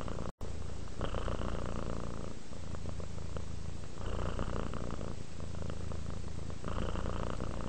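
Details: Sleepy domestic cat purring contentedly, low vibrating rumble rising on each inhale and exhale in slow cycles of about two to three seconds.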